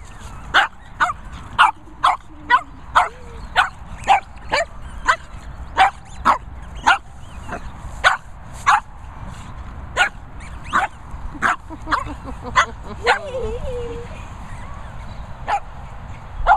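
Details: Benji and Buster, two Shih Tzu brothers, on a mad one in play: a long run of sharp, high yappy barks repeated roughly every half second to second, with a brief whining note in between and steady low background rumble.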